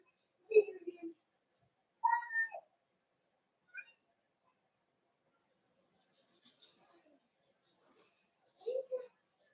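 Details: Cavalier King Charles Spaniel puppies socializing with larger household dogs in an indoor pen, 12/13/22. Sparse, soft mewing whimpers, one rising then dropping, with quiet gaps and faint rustles between.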